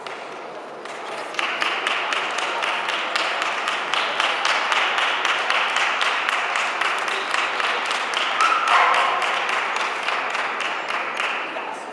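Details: Fast, steady rhythmic clapping or tapping, about four beats a second, rolls on over quiet background music at an indoor show.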